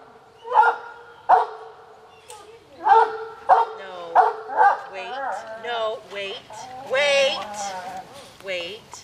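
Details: Eager household dogs, including Ebony and Willow, bark a few times for an afternoon snack, then whine in sliding, pitch-bending tones while a person talks to them and tells them to wait.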